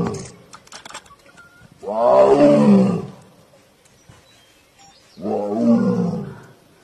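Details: Tiger roaring: two long, deep, growling roars, each lasting about a second, spaced roughly three seconds apart, preceded by brief clicks and a human voice.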